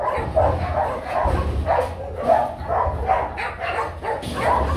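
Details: A young stud male Rottweiler, Nano, barking while searching for a ball at a breeding kennel. Loud barks land in an irregular run of roughly two per second, with low rumbling noise underneath.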